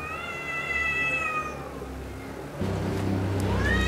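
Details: A red male cat defending its territory on Spetses, Greece, gives a long, drawn-out, wavering meow, falling slightly in pitch.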